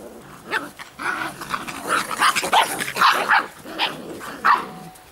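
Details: Giant Schnauzer puppies of the Blackmoore N-litter give a run of short, high yapping barks and yelps, several overlapping in quick irregular bursts over about four seconds, with a quiet background.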